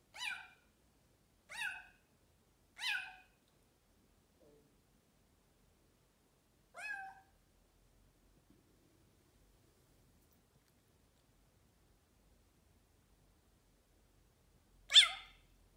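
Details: A noisy Bengal cat gives a quick run of three clear meows, a faint soft sound, then a fourth meow. After about eight seconds of near silence comes a final loud meow.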